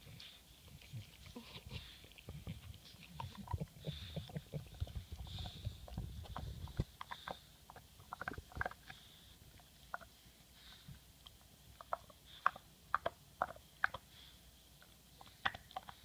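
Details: English bulldog Moto chewing a bone: irregular sharp crunches and clicking gnaws scattered throughout, with a heavier low rumbling, grinding stretch during the first seven seconds and quieter intermittent bites afterward.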